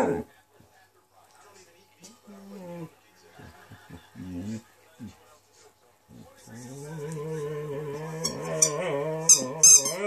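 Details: Zero, a rescue Saluki x Greyhound dog, indoors, sings along to a squeaky ball: after about six seconds of human voice comes a long, wavering howl with rich harmonics, while sharp high squeaks of the ball burst in near the end.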